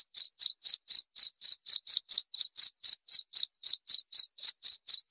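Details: Shrill cricket chirps repeated at a brisk, regular pace of about four per second, each a brief, buzzy, high-pitched pulse, with silence between them.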